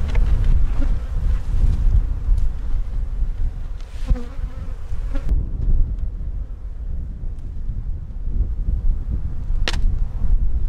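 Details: Honey bees in one of two hives opened for inspection, with several queen cup cells and a good brood pattern noted. A low, steady droning hum with faint overtone bands, broken by handling knocks and clicks, over a rumbling wind-like background.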